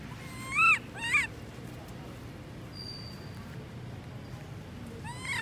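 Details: Lori, a baby monkey left alone by her mother Amari, crying: two sharp, shrill arched squeals in quick succession, then a pause with a faint steady tone, and a further rising squeal at the end.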